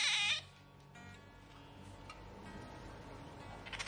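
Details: A pet Asian small-clawed otter, kept in a Tokyo home with dogs and cats, gives a loud, high, squeaky chirp in answer to being called by name, followed by quieter room sounds and a person's voice.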